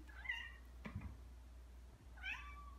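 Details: Ragdoll cat, one of two indoor cats aged two years five and nine months, playing with a favourite pompom ball toy; two short, high, thin meows about two seconds apart, with a soft thump between them in a quiet room.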